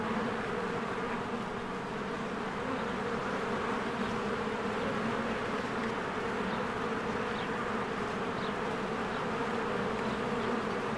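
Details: Swarms of bees working at a hive in springtime: a constant buzzing roar with layered low humming, with soft, short bird calls flickering faintly over it now and then.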